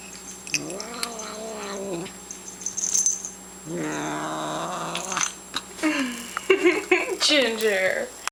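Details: Cat chewing food and growling because another cat is bugging her; two sustained, wavering moaning growls separated by a pause, followed by a burst of sharper, broken vocal sounds and clicks near the end.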